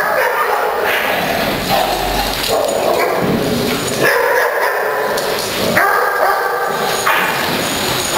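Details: Several pet dogs, excited to play, bark loudly in repeated bursts with some yips and whimpers, broadband sharp barks every second or so, with faint human voices in the background.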